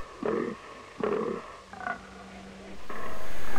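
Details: Fallow deer buck during the autumn rut in deciduous forest in Romania: two deep, harsh groans about a second apart, followed by quieter rumbling and a steady low hum.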